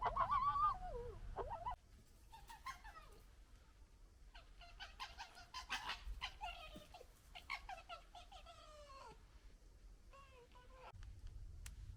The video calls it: Funny Fox Noises